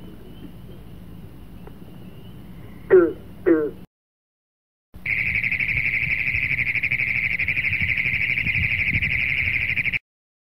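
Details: Frog sound: two brief falling squeaks, a short silence, then a long, steady, rapidly pulsed trill held for about five seconds before stopping abruptly.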